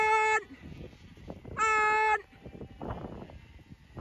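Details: Zwartbles lambs on a County Kilkenny farm in Ireland, called along while being moved away from the ewes for weaning, with alpacas following. Two sustained, even-pitched bleats about a second apart, then rustling footsteps and grass sounds.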